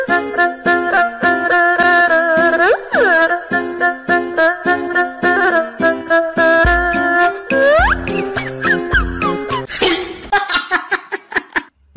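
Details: Bright, bouncy children's-style music with chiming melodic notes and sliding tones, ending in scattered jingles; no animal voices stand out.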